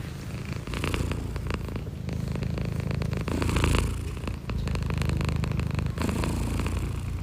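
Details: Domestic cat purring indoors: a steady, low, rumbling purr runs almost without break for about seven seconds, swelling slightly in places, with faint rustling on top.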